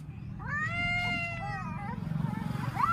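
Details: Adult cats crying, one drawn-out, level meow lasting about a second with a soft falling tail, over low rumbling background noise and a faint later squeal.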